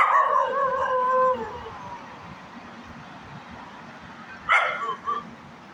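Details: Small puppy dog letting out a drawn-out, high whining howl that slides downward and fades after about a second and a half, then a pause and a couple of short sharp yips near the end.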